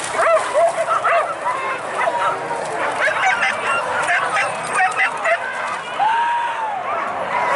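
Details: A pack of hunting dogs bays while hunting wild boar in the Minangkabau region of West Sumatra, Indonesia. Scattered barks and rising-falling yelps overlap throughout, with one long drawn-out howling yelp late on, over a steady noisy background.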